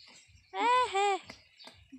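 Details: Long-horned doe Anime on a backyard farm, calling out in labour during an arduous first birth. One short, strained bleat in two linked parts, rich in harmonics, with faint voices and small knocks around it.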